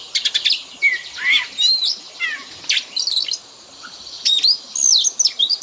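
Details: Training fill-in song for a pet Oriental magpie-robin, meant to teach imitation of other birds: loud chirp bursts and looping whistled slurs separated by brief pauses, over a constant thin background hiss.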